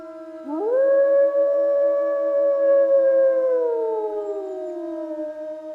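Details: Single wolf howl that swoops up quickly, then holds a long, pure, level tone for about three seconds before gently sliding down and trailing off. A faint, steady lower tone runs throughout.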